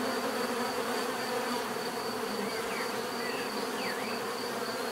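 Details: Steady bee buzzing forms a constant drone while a few short, sweeping bird calls rise and fall faintly behind it.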